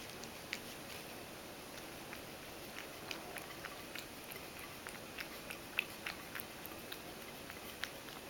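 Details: Milk being lapped up by Mojio, a Ragdoll house cat, messily enough to spill. Short bright tongue-clicks recur roughly every half second, some louder than others, in a quiet small room.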